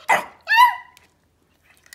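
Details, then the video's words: Pomeranian puppy asked to speak for a treat during training: a rough short yap followed by a clear, ringing, slightly falling bark, then quiet. "Pomeranian puppies are barking for treats"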